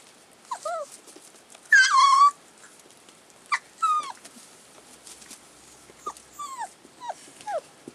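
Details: Collie puppies, 35 days old, filmed on 16 February 2012, giving scattered high whimpers and squeaky yips with sliding pitch, including one longer loud whine near the start, separated by quiet gaps.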